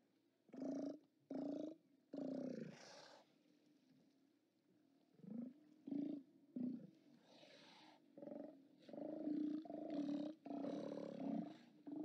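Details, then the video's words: At a Steller sea lion haulout, 29 October 2017, live-cam recording: deep, growling roars in short bursts, a pause of a few seconds, then a run of longer overlapping bellows from several animals. "Steller Sea Lions"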